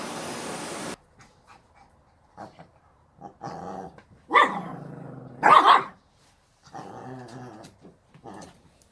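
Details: Pet Shih Tzu giving two short, loud, harmonic barks near the middle, with softer vocal bursts before and after and a person talking throughout.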